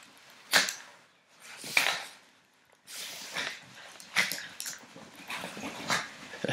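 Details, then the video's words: Baby puppies sneezing and play fighting: sharp, breathy bursts spaced about a second apart, with scuffling, soft snorts and small growly noises between them. "Cute baby puppies sneeze and play fight"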